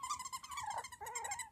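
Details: A Havanese puppy from a litter of four girls and one boy born October 1st. One sustained, nasal whine sags in pitch, breaks briefly, then resumes as a wavering cry.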